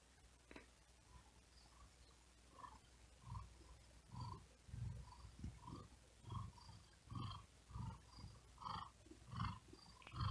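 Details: Low purring from a cat resting on a wooden desk in the heat, breathing fast and laboured; faint at first, then rhythmic rumbling swells roughly every second and a half, growing steadier toward the end.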